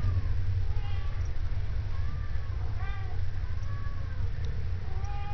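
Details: Cats at an animal shelter in Idaho Falls meowing again and again, about eight short arched meows spread irregularly across the stretch, some rising then falling, against a constant low hum and faint voices.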